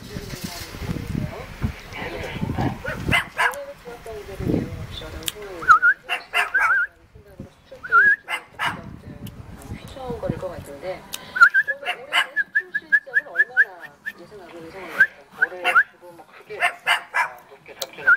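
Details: Puppy in Jeonju, Korea, inviting play with quick bursts of yips and brief rising whines, growing busier in the second half, over low murmuring human speech.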